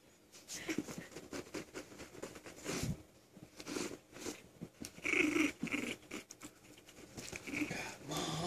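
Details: Butters, a five-week-old puppy, growling while playing indoors: short breathy, wheezy growls come in uneven bursts over about eight seconds, mixed with rustling and handling noises.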